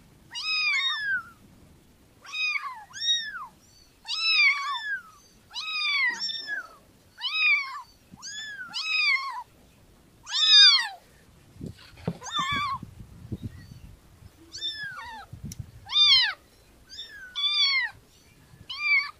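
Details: Kitten meowing over and over, high arched mews with strong harmonics, roughly two every three seconds, some short and some drawn out, with faint low rustling in the background.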